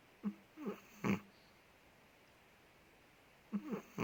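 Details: Ted, a big Chihuahua living in Indonesia, snoring while asleep indoors: short nasal snorts with whistly squeaky inhales, two quick bursts then a longer rasp, a three-second pause, then the same pattern again in a quiet room.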